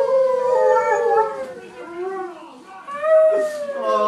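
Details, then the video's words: Cairn and Husky dogs howling as a choir, drawn-out wavering howls falling and rising in pitch, two voices layered, with a short dip in loudness mid-way. "Cairn & Husky Choir"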